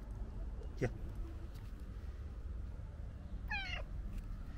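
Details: Friendly stray cat happy to see a person, meowing as it dashes over: a faint low cry near one second, then a clearer harmonic meow around three and a half seconds, over steady low outdoor rumble.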